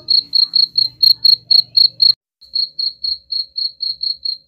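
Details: Cricket chirping, said to repel rats: clean, regular high-pitched pulses about four per second, a brief pause after two seconds, then the steady chirps resume; faint low hum under the first half.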